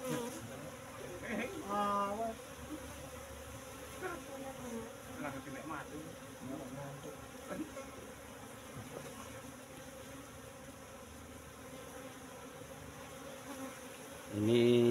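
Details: Hive-box colony of Asian honey bees, transferred from forest roughly three months ago, humming during honey harvest; an even buzzing drone persists, briefly overlaid by voices early on and again at the very end.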